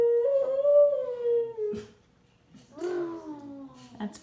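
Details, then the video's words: Amy, a five-year-old Siberian Husky, howls indoors together with a 15-month-old baby. Two drawn-out, tonal howls, the first steady then gently falling, the second sliding downward, with a short pause and light noises between them. "Baby & Husky “Singing” Together"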